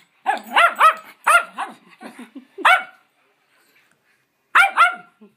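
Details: Schnauzers adopted through a New Jersey rescue bark during play, a quick flurry of bright, yappy barks followed by a short silence and then one more pair.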